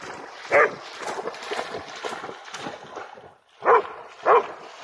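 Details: Tireless Pharaoh Hound named Jax, trying to catch a bug-hunting bat above water, lets out one sharp bark, falls quieter, then ends with two rapid barks about half a second apart over steady hissing background noise.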